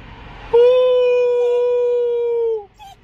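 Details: Young pet dog howling as anaesthesia wears off after neutering surgery: one steady, level tonal howl held for about two seconds, then falling away at the end, with a faint short sound afterwards in a quiet room.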